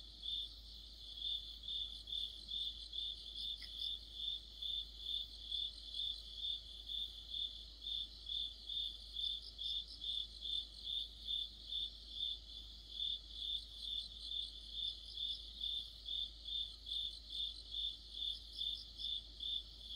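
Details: Crickets singing in an autumn chorus, described as an insect orchestra under a streetlight: steady high chirps pulsing about twice a second, with a second, fainter caller trilling in bursts above the main rhythm.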